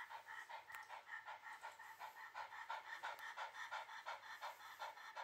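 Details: Shiba Inu panting steadily while being held calmly in someone's arms, quick breathy pulses repeating about three times per second in an even rhythm, with a faint low hum underneath.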